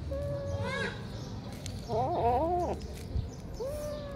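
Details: Kittens waiting to be fed: a thin sliding mew, then a louder wavering meow lasting under a second, and a final rising mew, all over a constant low background hum.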